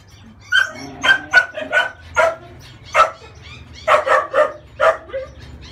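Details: Female French Bulldog puppy, 30 days old, protesting during a bath to wash off scurf: about eleven short, high yelps and squeals in uneven bursts, some closely bunched, with quiet gaps between.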